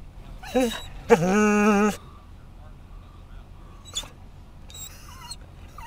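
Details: Scottish Terrier excited by other dogs at a Florida rest stop along I-10: a short whimper followed by a strong, steady, nasal whine lasting nearly a second, then faint high squeaks among quiet outdoor background noise.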